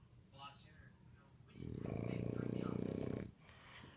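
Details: English Bulldog asleep in the house, phone recording: a soft breathy sound first, then one loud, drawn-out, gravelly snore of about one and a half seconds with a vibrating rattle, indoors.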